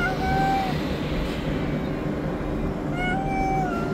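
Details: Stray tabby cat living on the street asking for food: two drawn-out meows, the first at the start, the second near three seconds, each with a steady tone, over constant traffic rumble.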